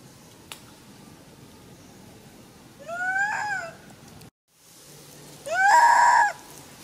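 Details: Monkey mother Handa crying loudly after a young monkey grabbed her baby Handy; two drawn-out harmonic wails, each rising then holding steady, the second louder and longer, separated by a brief silence.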